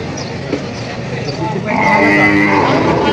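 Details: Cattle at a livestock market in Padre Garcia, Batangas, on July 17, 2026, where breeding cows and heifers are sold: a steady, drawn-out nasal moo fills the last second and a half, following a stretch of crowd chatter and market noise.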